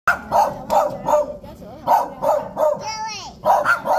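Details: Dogs barking at visitors: sharp, mid-pitched barks in quick bursts roughly every half second, with a brief wavering whine near the end and human voices mixed in.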